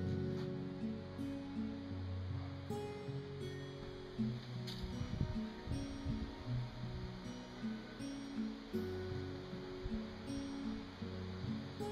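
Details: Soft plucked music drifts over low rustling outdoor noise, with sustained low tones and occasional faint high ticks, but no animal calls.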